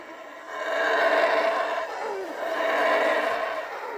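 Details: Howler monkeys in their natural habitat in a Central American reserve give a rough, droning roar that swells and fades in two long waves, the dominant male setting the tone before the group joins; the call carries nearly 5 km through the canopy and helps neighbouring troops avoid quarrels.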